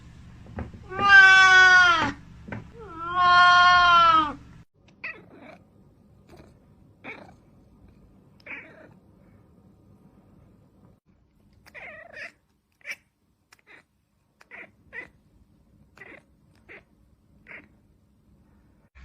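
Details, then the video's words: Domestic cat letting out two loud, drawn-out meows in quick succession, rich and harmonic with a wavering pitch, followed by quiet scattered clicks and taps in an otherwise still room. "cat sounds"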